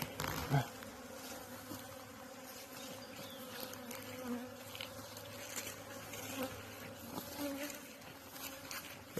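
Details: Newly acquired beekeeping honeybees buzzing continuously near the hive, a sustained drone with individual bees passing close and fading, a few brief knocks and a faint voice at times.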